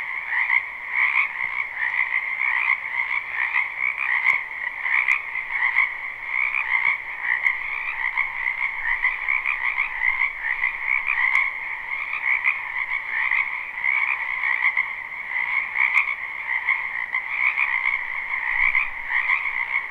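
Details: Many frogs croaking in a spring wetland behind a house, recorded live: a dense, unbroken chorus of trilling croaks in two steady bands, one mid and one higher. Occasional faint clicks; no other sounds stand out.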